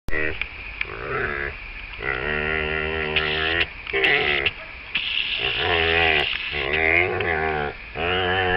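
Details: A female dog being played with makes a run of playful grumbling, moaning noises, each burst about a second long with wavering, rising and falling pitch, separated by short pauses, almost talking-like.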